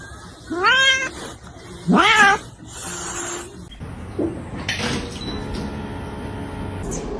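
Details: Cat giving two loud rising-then-falling meows about a second apart, the second strained and harsher, followed by quieter rustling, a faint low voice and clattering noises.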